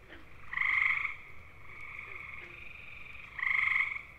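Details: Gray tree frog (Hyla versicolor) mating call from eastern North American woodland: two loud half-second musical trills about three seconds apart, with a continuous fainter trilling chorus of other frogs between them.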